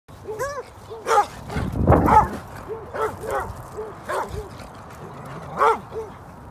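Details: Alaskan Malamute, a young dog, playing and running with other dogs at a dog park; short arched whining yips come in quick runs, broken by louder rough barking bursts near the start, middle and end.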